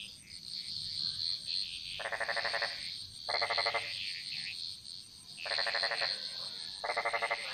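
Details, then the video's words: Bali jungle frog chorus, echoing: four bursts of fast rattling croaks, each under a second, evenly spaced, while a constant shrill insect drone and other frogs' chirps fill the background. "Frog Mantras - Relaxing Sounds Of Bali"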